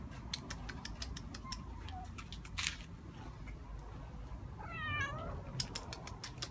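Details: Cat in an attic with a faint short call early on, then one clear rising-falling meow, amid frequent clicks and tapping noises.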